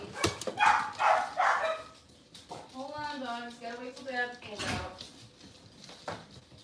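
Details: Cavalier King Charles Spaniel puppies indoors in a kitchen on a cloudy Monday morning; a drawn-out, wavering whine with rising and falling pitch, preceded by speech-like bursts and followed by clatter.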